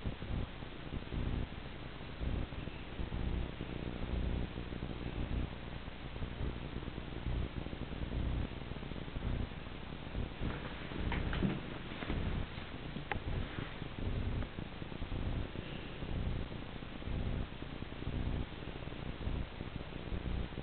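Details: Pet cat chasing a laser dot; steady low rumbling purr pulsing roughly once per second, with a few faint higher scraping noises near the middle.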